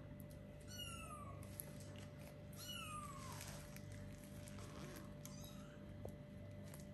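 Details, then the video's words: Little kittens about four weeks old, starting to play and look around, give two high, thin meows that slide downward, with soft scuffling and a steady low hum underneath. "Little kittens meowing and playing"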